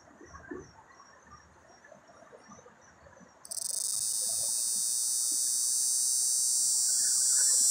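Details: Cicada mating call in a pear tree: after a few seconds of quiet background with a faint high ticking, a loud hissing buzz bursts in suddenly and keeps up, gradually gaining strength with a rapid steady pulse.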